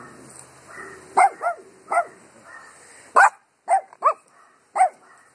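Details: Dogs barking at the wind: a burst of loud, close barks, single and doubled, with fainter distant barking between them and wind noise behind.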